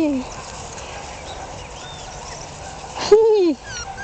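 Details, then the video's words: Jack Russell Terrier puppy, one month old, born 27 October 2010 to Yeti Romany Storm and Romany Rio. One short whimper falls in pitch near the end, after a quiet stretch of low background hiss. "Filhotes de Jack Russell Terrier"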